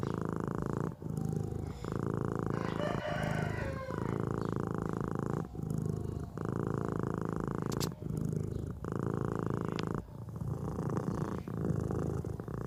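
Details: Sleeping cat snoring: long raspy, rumbling breaths repeat about every one and a half to two seconds, each separated by a brief quiet gap, with a faint scratchy rustle in the middle.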